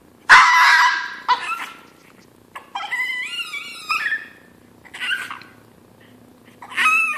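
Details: Chino, a hungry pet Chihuahua, crying before breakfast as it does before every meal: a harsh noisy yelp, then high wavering whines bending upward, in bursts separated by short pauses, ending in another strained cry; quiet indoor room.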